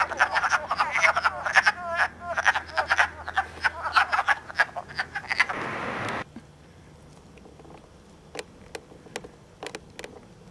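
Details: Wood frogs mating in early spring at Elmer, New Jersey, on March 3, 2012, recorded with an iPod. Dense raspy clucking fills the first six seconds, then a burst of rushing noise. Only a few sparse clicks follow.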